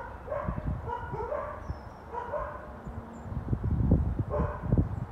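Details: Four neighbours' dogs barking on January 20, 2021, heard as distant repeated barks about once a second over a steady low rumble.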